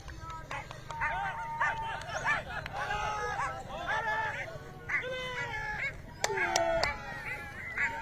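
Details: Hunting dogs chasing a hare give a chorus of high, overlapping yelps and bays, several voices calling at once in short arched bursts, with a steady low rumble underneath.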